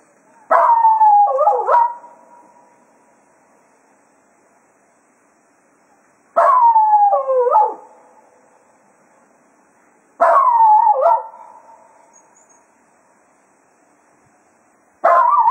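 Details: Cato, a Jack Russell Terrier at Quail Roost, serenades the hounds in farewell as a day of foxhunting ends: four loud howls about every four to five seconds, each a quavering, falling wail lasting roughly a second and a half, with quiet pauses between.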